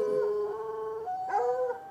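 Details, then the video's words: A white hound and a dark hound chained in brush near an irrigation ditch at night, recorded from across the ditch about ten yards away; one continuous, sustained howling bay that wavers and rises in pitch toward the end. "Barking dogs"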